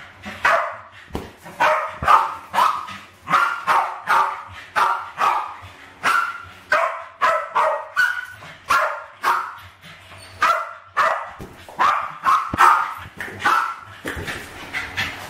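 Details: Kitchen balloon play by two West Highland White Terriers, Alfie and Crystal, around 7 and 8 years old, filmed in 2012; continuous excited high-pitched barking, rapid and rhythmic, with brief gaps between bursts.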